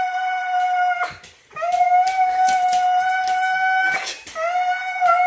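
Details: Indoors, Siberian Husky Apollo keeps up a tantrum of steady, drawn-out high whines after being left behind by a departing person, with short breaks between the long cries.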